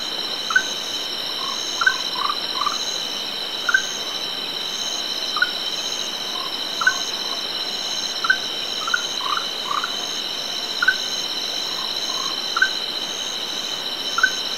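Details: An orange-bellied tree frog, recorded with a directional microphone at some distance on a hillside where several are present, gives short chirping notes, singly or in quick clusters, over steady insect buzzing.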